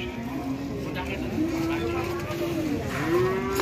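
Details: Cattle during haggling at a livestock sale over a rare jumbo cow: a long, drawn-out moo that dips and then climbs again, with people talking and music behind.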